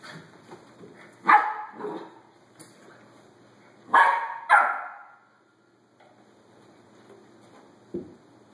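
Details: Five rescued mixed-breed puppies and a Rat Terrier in April 2013, in a rural area south of Tampa. Sharp single barks and a quick double bark ring out, followed by quieter yips and a few soft sounds between them.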